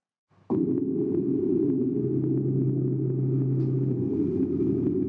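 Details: A blue whale gives a deep, steady, rumbling low-frequency call below about 100 Hz. It barely changes in pitch, and such deep sound travels far.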